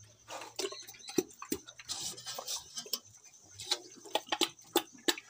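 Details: Village-farm pig in Assam munching its food: sharp chomping clicks and wet smacks, clustered then spaced out, with a low electrical hum and a faint high steady tone behind.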